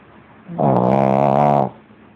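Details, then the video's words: Lenon, a pug, snoring loudly while asleep: one deep, rattling, buzzy snore lasting about a second, with a low pulsing drone, then quieter background hiss. "Pug Lenon roncando ( pug snoozing )"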